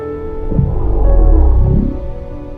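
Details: A baby blue whale, recorded underwater by GoPro near a boat at the end of the summer season, vocalizes at the boat with a deep, low rumble usually below human hearing, with soft music behind.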